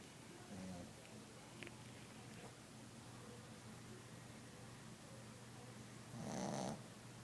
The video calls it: CUTE BOSTON TERRIER PUPPY SLEEPING/SNORING